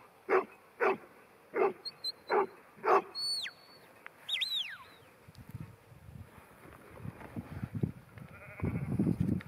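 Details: New Zealand Huntaway Ruby, a ten-month-old female, barks five times in quick succession, then whistles sweep down and the rest fades into shuffling and rustling noise.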